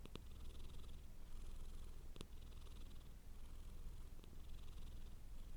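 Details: House cat purring softly at close range, a smooth low vibrating drone with gentle breath-paced swells and three sharp little clicks scattered through.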